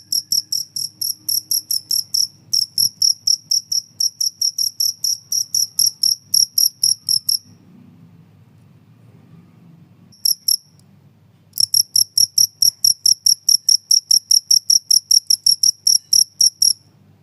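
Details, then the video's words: Cricket chirping, played to repel house rats and as a tutor sound for songbirds; loud, high, rapid pulsed chirps repeated several times a second in long runs, broken by a pause near the middle, with faint low rumble beneath. "suara jangkrik pengusir tikus dan buat masteran burung"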